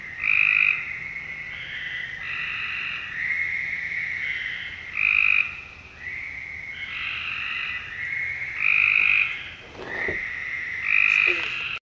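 Frogs calling at night with high, tonal, repeated notes in a steady overlapping chorus.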